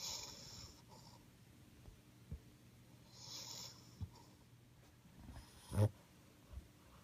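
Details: Potato, a cream male French Bulldog born 26 September 2015, snoring after neutering and nasal stenosis surgery, filmed 30 April 2016: two airy wheezing snores about three seconds apart, then a sharp snort near the end, with faint low hum throughout.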